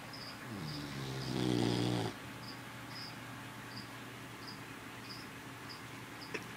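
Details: Loud-snoring Boston and Beagle cross puppy Sven gives one deep, buzzing snore while asleep, followed by quiet with a soft, repeated high chirping in the background.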